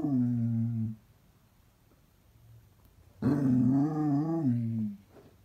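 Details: Basset Hound indoors producing low, groaning howl-like notes: a short steady tone at the start, silence with low room hum, then a longer wavering moan that rises slightly and trails off.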